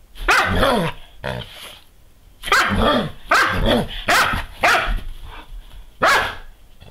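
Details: Female Doberman Pinscher spinning in circles chasing her tail shortly after sunrise as part of a daily routine; loud excited barks come in rapid clusters of two or three, rough and throaty, separated by brief pauses.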